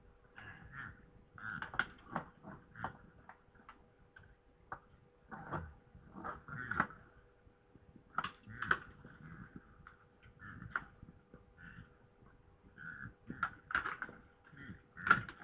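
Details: Red deer stags fighting in Poland on 3 November 2017 at 21:01: sharp clicking and clattering knocks in irregular bursts, with short low grunting sounds between them, against a quiet background with a steady faint hum.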